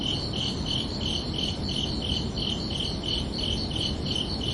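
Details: Night-time cricket chorus: crisp, high-pitched chirps pulse steadily, roughly three a second, set against a constant low, grainy background rumble.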